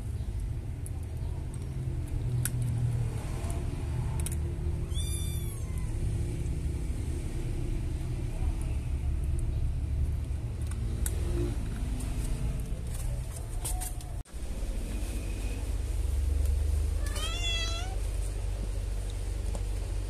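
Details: Kittens give two high, falling, wavering meows about twelve seconds apart, heard over a steady loud rumble of a running vehicle engine.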